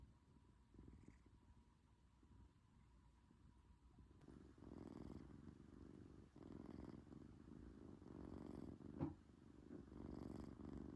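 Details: A sleeping British Shorthair kitten purrs and snores at once; a faint murmur for the first four seconds, then a louder, deep rumbling purr rising and falling in breath-length waves.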